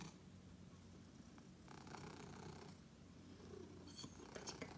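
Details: Pet cat greeting his owner on her return home after a long day with a continuous low, even purr, its deep rumble steady across the clip, plus faint scuffing noises near the end.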